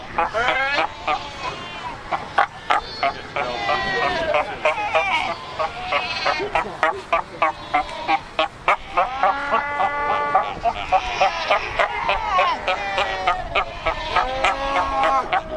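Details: Cape fur seals at Cape Cross on the Skeleton Coast, a huge colony of over 100,000 animals by rocky ocean shore; dense overlapping bleating and honking calls from many seals, harmonic and wavering, several per second, continuous chorus.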